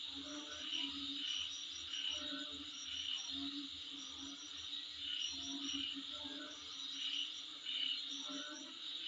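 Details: Insects heard outside a home, a shrill continuous drone with scattered whistled pulses coming in irregular bursts and a steady low pulsing in the background.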